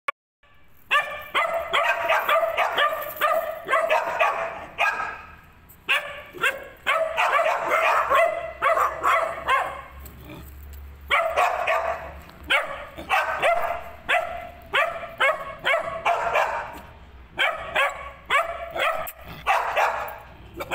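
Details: Three-month-old female Afghan Hound puppy barking in long rapid runs of sharp, high yips, bursts of several seconds separated by short pauses, with a faint low hum in the background.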